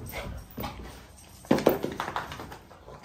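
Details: A French bulldog out on a walk gives a quick cluster of short, snuffly whimpers and grunts after a quiet start.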